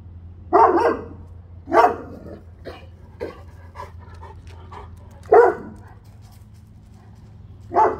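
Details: Central Asian Shepherd guard dog barking loudly and deeply, heavy single barks spaced one to three seconds apart with softer short barks between them, over a constant low background hum.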